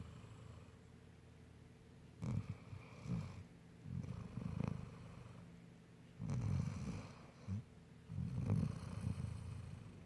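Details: Bella, a sleeping Golden Retriever, snoring indoors: low, rumbling, purr-like snores in uneven bursts about every one to two seconds, with quiet pauses between breaths.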